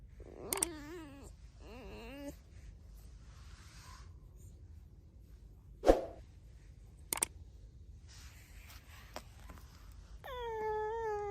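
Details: Alice the pet red fox gives two short warbling squeaks and later one long steady whine. The quiet room between them holds a few sharp knocks and clicks.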